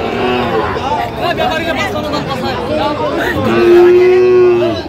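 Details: Bargaining voices at a cattle market in Gopalganj, Bangladesh, 22 July 2025, give way to a steady, level moo of over a second from a Sahiwal bull calf near the end.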